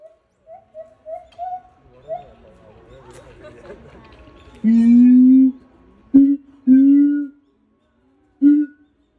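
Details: Caged male siamang at a Japanese zoo singing solo: soft wavering hoots at first, then long loud drawn-out booming hoots with short sharp notes between them, and background murmur.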